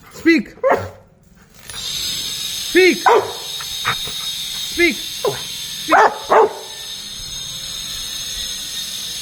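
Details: Pet Rottweiler at play with a ball gives a string of sharp, harmonic barks, mostly single or paired, spaced irregularly about a second apart, over a steady hiss of background music.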